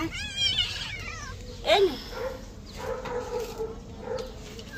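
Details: Domestic cat being bathed lets out a drawn-out wavering meow, then a sharp rising-falling cry, followed by softer low moaning while water and handling noises continue.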